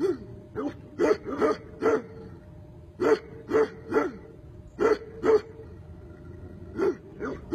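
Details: Tibetan Mastiff barking in short, sharp single woofs, sometimes in quick pairs or triplets, with irregular pauses of up to a second between bursts; a quiet, clean background.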